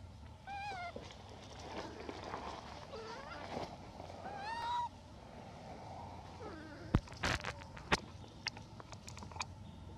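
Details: A hybrid monkey requesting food gives clear, tonal, wavering calls that bend up and down, several short calls within the first five seconds, followed by sharp clattering knocks and bangs near the end.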